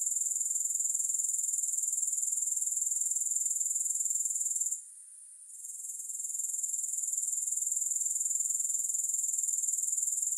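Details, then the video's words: Grasshoppers with no music: a steady, very high shrill trill pulsing about four times a second, dropping out briefly near the middle before building back to full strength. "Grass Hopper Sounds"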